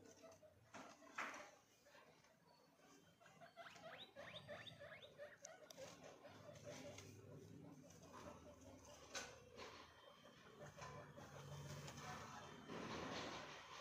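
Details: Guinea pig calling indoors: a rapid run of short, harmonic squeaks and chutting notes, about three a second, with people talking in Hindi and handling noises around it.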